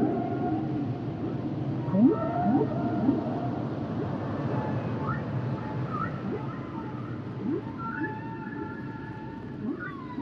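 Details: Humpback whale singing underwater, a series of short rising swoops and long steady tonal moans overlapping, against constant low rumbling sea noise.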